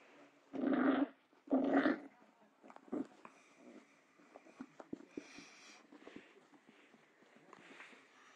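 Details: Dachshund puppy playing with his reflection indoors gives two short, gruff bark-growls about a second apart, then quieter scuffling and faint room noise.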